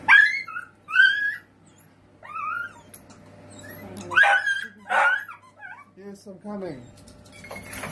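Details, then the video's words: Miniature dachshund playing, producing bright yips and nasal whines in clustered bursts, two strong cries near the middle followed by lower descending moans, with a steady faint hum and some speech behind. "miniature sausage Dogs instagram playful videos"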